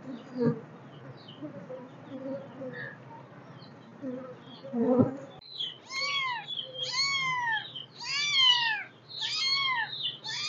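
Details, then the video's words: Kittens meowing: about five seconds of quiet shuffling and soft knocks, then a quick run of five or six high, arched meows, each rising then falling, some overlapping, over a faint low hum. "Super Cute kittens Meowing"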